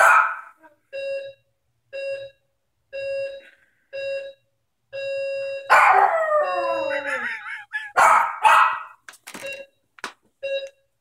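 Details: A doorbell rings in short repeated beeps for several seconds before a Maltese joins in with one long, falling howl, followed by choppy barks and yips while the beeping continues.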